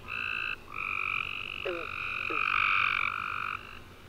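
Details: Tree frogs calling at night following a warm, rainy summer day; continuous buzzy trills from several frogs overlap and shift in pitch, with two short sliding chirps near the middle.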